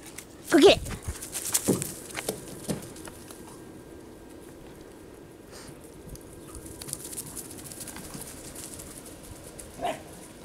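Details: Kerry Blue Terriers Baylee, one year old, and puppy George, 15 weeks, at first play together; one loud bark early on, a softer yelp after, then quiet rustling and a brief later yip.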